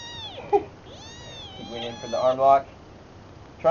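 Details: Kitten siblings play-fighting, a big brother wrestling his smaller runt sister: high, thin drawn-out meows sliding up and down, then a quick burst of short squeaky mews and yelps, with a man's voice commenting briefly.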